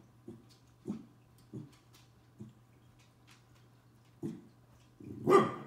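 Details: A 12-week-old Corgi puppy confronting a bug gives soft, short woofs at uneven intervals, ending in one louder, harsher bark.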